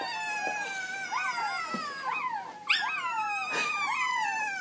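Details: Playful golden retriever puppies let out a string of thin, rising-then-falling whimpering howls, several overlapping cries sweeping up sharply and gliding down in quick succession.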